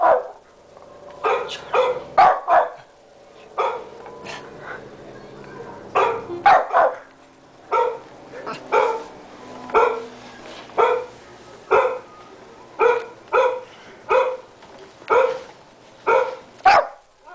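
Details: Tommy the pet Shih Tzu, 13 pounds, keeps barking at the computer: a long run of short, sharp barks roughly every second, some in pairs, steady loudness throughout, a person murmuring briefly.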